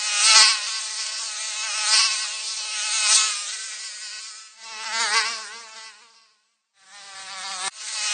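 A mosquito's thin, high whine in flight, swelling and fading as it passes close.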